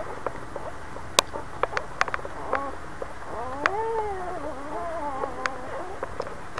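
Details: Boxer dog that has just had puppies gives a drawn-out, nasal whine that swoops up and down in pitch, preceded by sharp clicks and rustling nearby.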